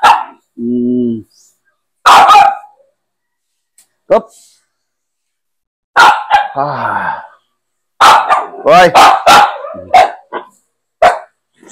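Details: Pet Aspin dogs, Max and Poly, during a bath challenge: a drawn-out low whine, then sharp bursts of barking mixed with excited people talking and calling out close by.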